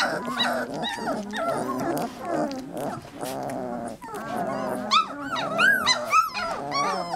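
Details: Three-week-old Labrador Retriever puppies in a noisy cacophony, low grumbling moans and overlapping whines building to sharp high-pitched squeals and yelps toward the end.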